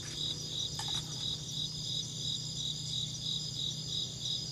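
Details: Insect chirping in a steady, high-pitched pulsing rhythm, about three pulses per second, with a continuous high whine above and a low hum underneath; a brief click-like sound near the start.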